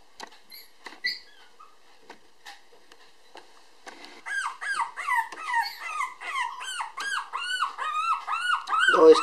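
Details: A black-and-tan female Toy Poodle puppy, born 7 February 2016 and weighing 500 g, recorded indoors on 18 March while a little anxious after separation from its mother. A few soft squeaks lead into a run of loud, repeated, arching whines.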